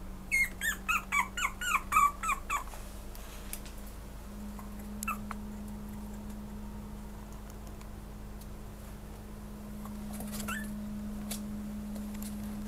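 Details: Pomeranian producing a rapid burst of high, squeaky whimpers in the first three seconds. Then it falls mostly quiet, with only a couple of soft squeaks later over a constant low electrical hum.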